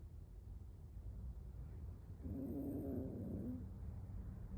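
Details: An 18-year-old toy poodle, a high senior, naps home alone and gives a single quiet snore: one rasping, buzzy breath lasting about a second over a low steady hum.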